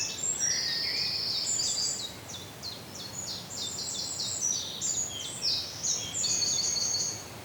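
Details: Feeding on Ashoka seeds in Pune, Maharashtra, an Indian flying fox produces high, piercing drawn-out squeals broken by quick stuttering chatter notes, loud and nearly unbroken throughout.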